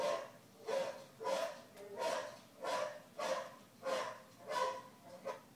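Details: Female pet dog barking at a horse in Red Dead Redemption and at her own barking: a steady run of about eight short barks, roughly one every 0.65 seconds, fairly even in loudness, in a quiet indoor room.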